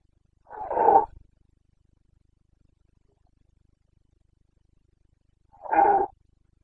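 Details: Red deer stag of the Carpathians, Bucovina, roaring in the breeding season on 29 September 2022; two short, coarse, equally loud bellows separated by about five seconds of silence.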